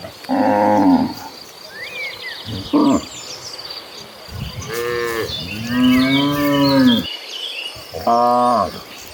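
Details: Dozens of cattle walk toward a lush green pasture, several cows mooing in turn with deep drawn-out harmonic lows rising and falling, birds twittering between.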